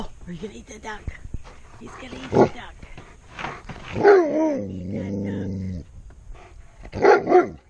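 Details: Giant Alaskan Malamute, usually quiet, growling and barking when scared of something; a drawn-out low growling moan slides down in pitch and holds steady for about two seconds among shorter vocal bursts, while a person talks and laughs throughout.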